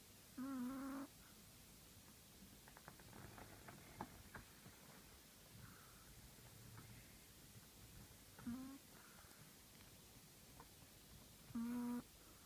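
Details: A Chihuahua kept as a shop's 'manager' snores in three short, nasal, whistling tones, each about half a second long with a slight waver. They come near the start, around eight seconds and near the end, separated by quiet breathing and faint rustles.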